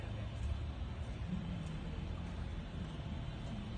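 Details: Steady low rumble like a passing vehicle or distant engine, with no animal voice heard.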